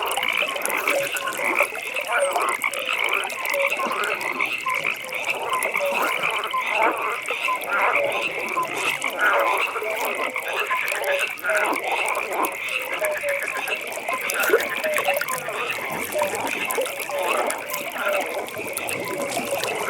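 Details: Evening frog pond ambience: many frogs croak together, a constant high ringing trill layered over dense, overlapping lower croaking across the whole stretch.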